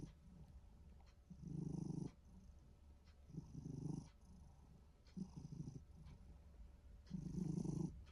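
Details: Relaxed short-legged Minuet cat producing a snore-like purr: four low, grainy rumbling bursts, the first and last the loudest, with faint breathing in the gaps.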